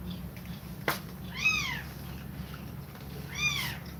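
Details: Mother cat nursing her kittens and breathing fast; a sharp click, then two bright arched mews about two seconds apart, sliding up and back down, against a low steady room hum.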